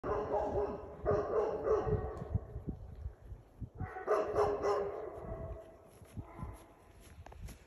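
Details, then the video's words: Great Pyrenees guard dog confronting a moose, giving bursts of deep, harsh barks in quick clusters around one and four seconds, with quieter rustling and background noise between. "Great Pyrenees Gaurd Dog Confronts a Moose"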